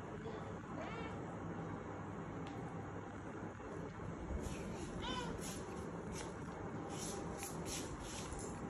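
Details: Kittens crying to be let outside: two short, thin meows, one near the start and another around five seconds in, each bending up then down, over a steady low indoor hum.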